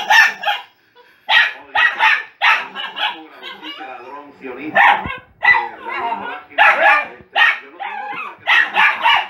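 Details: Dog barking in quick, uneven bursts of two or three yaps, about a dozen barks over several seconds, each harsh and fairly high.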